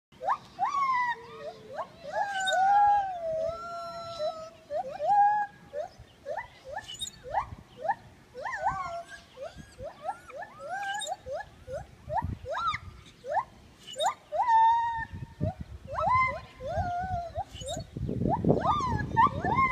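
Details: Gibbon song: a dense series of loud whooping notes, many sliding upward or swooping, overlapping in quick succession, with a rougher broadband noise rising near the end.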